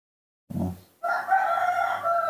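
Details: A baby monkey, newborn and cared for by a person, screams for milk. A short low grunt is followed by a long, level, piercing tonal scream.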